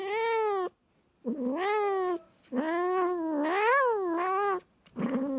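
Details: Cats fighting with a run of drawn-out, tremulous yowls that swell and dip in pitch, four long calls in quick succession with short gaps.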